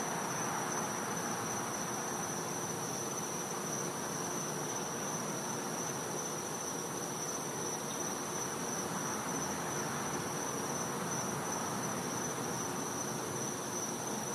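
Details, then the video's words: Winter night in a Floridian back yard, cicadas calling: an even, shrill, sustained high tone runs for the whole stretch, never pausing, above diffuse background noise. "Cicada Sounds"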